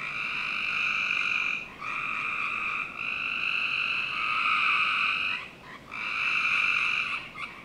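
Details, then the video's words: Frogs calling in the backyard of a Northern Virginia home on a summer night; high, rasping trills run almost continuously, broken by a few short dips every one to two seconds. "Frog Night 1"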